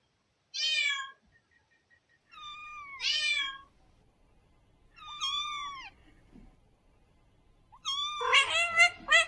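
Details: Meowing cats searching for food and drink in a bamboo tree: four separate bright, wavering meows about two seconds apart, the last overlapping into a dense, rough cluster of several voices at once.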